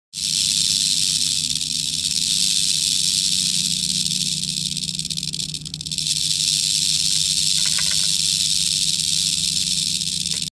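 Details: Large wild timber rattlesnake, also called canebrake rattlesnake, found in New Orleans, Louisiana, in early 2018, rattling its few rattles almost continuously while displeased at being disturbed: a steady, dense high hiss-like buzz, dipping briefly midway.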